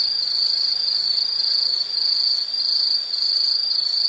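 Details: Steady, high ringing insect trill that dips briefly in loudness midway, with a faint low hum beneath.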